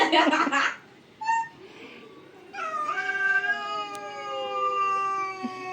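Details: Pet cat squaring off against another cat in a fight, drawn-out wavering caterwaul with rich harmonics rising and falling over three seconds, preceded by a short harsh outburst and a brief high squeak.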